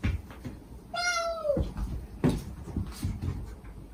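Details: Stray mother cat with kittens in Japan, gentle voice calling her young, recorded for rescuing kittens; one clear half-second meow, steady then bending downward, followed by a soft knock and low rumbling noise.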